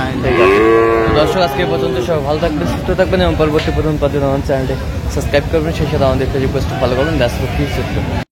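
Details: At Aftabganj cattle market, Dinajpur, Bangladesh, 17 June 2025, an improved-breed dairy cow gives a clear rising moo at the start, then fainter wavering calls fade into dense market talk and bustle.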